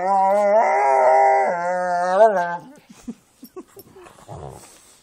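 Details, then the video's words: A Jack Russell and pit bulls playing; one sustained, wavering howl-like growl lasting over two seconds, followed by soft grunts and snuffling sounds. "Jack Russell and pit bulls playing"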